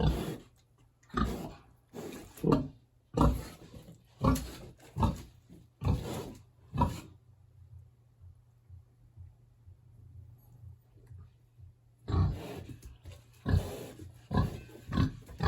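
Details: Hungry big pig in a village pig house on a warm autumn day, grunting roughly once a second for several seconds, then falling quiet with only low hum, before a few deeper grunts return near the end.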